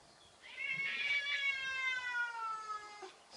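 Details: Cat meowing at a cat-shaped balloon indoors: a single loud, rich, wailing meow lasting over two seconds, starting high and gliding gradually lower before fading.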